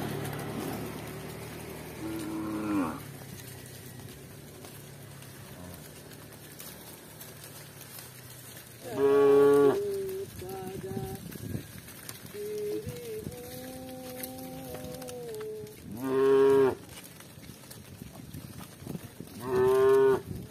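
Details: Village cows walking with their shepherds; a faint early lowing is followed by three strong, clear moos at wide intervals, plus a quieter sustained tonal call in between, against soft background noise.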